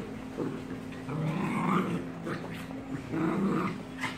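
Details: American bulldog in a fight with a German Shepherd and a Maltese, giving near-continuous harsh growls and snarls that swell and fade in quick pulses, with a constant low hum underneath.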